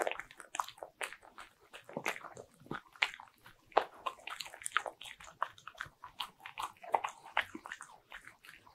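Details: Bichon Frise munching butter-ring cookies in a small room: dense, steady crunching and wet chewing clicks, bites tumbling over each other almost continuously with a few louder cracks.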